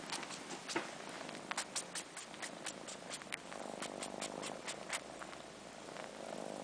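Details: Kittens aged four months, long-haired Sheba and his sister Carla, suckling on fur in place of their absent mother. Runs of crisp slurping clicks give way to a steady, cycling purr in the second half.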